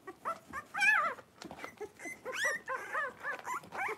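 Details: Five blenheim Cavalier King Charles Spaniel puppies, born New Year's, with mother Paris in an indoor pen; continuous wavering whines and squeals, with a long wailing cry near the start and shorter bent squeaks following.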